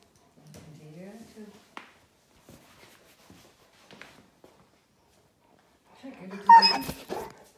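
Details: Cane Corso puppy Moos, three and a half months old, with his father Don indoors: soft rising-and-falling whimpers near the start and a louder, higher whine near the end, with a woman talking in Dutch between them.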